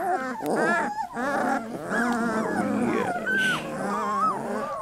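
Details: Three-week-old Labrador Retriever puppies in a litter, overlapping whiny squeals and wavering whimpers from several pups at once, harmonic cries rising and falling, with a woman's soft voice talking to them.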